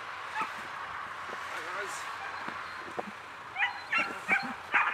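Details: German Shepherd puppy during play with a handler: after quiet early moments, a burst of several short, sharp, high yips and barks in the last second and a half, alongside Hungarian praise and encouragement.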